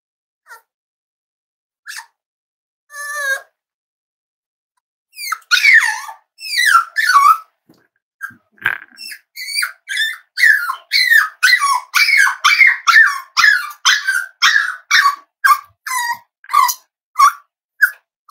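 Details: Whining from almost-8-week-old Cavalier King Charles Spaniel puppies in a family home: a few isolated squeaks open the clip, then from about five seconds a steady stream of short, high, falling whimpers and yelps, roughly two per second.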